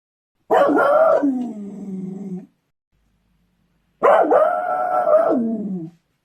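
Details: Beagle giving two long bays, each about two seconds. Each opens loud and bright, then settles into a lower, quieter, wavering drawl.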